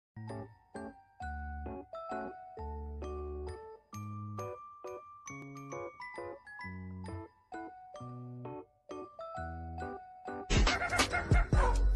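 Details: Tinkling glockenspiel-like children's melody plays in separate plucked notes, ending with a sudden loud jingling burst, and no animal call is present.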